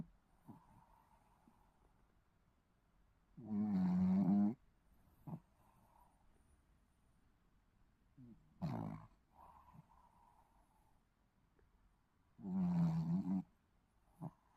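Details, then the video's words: Snoring Shih Tzu puppy, asleep: long, rattling, low snores repeat about every four to five seconds, three main bursts in all. Each is followed by a short soft snort or click, over a quiet background. "시츄 코골이 아가"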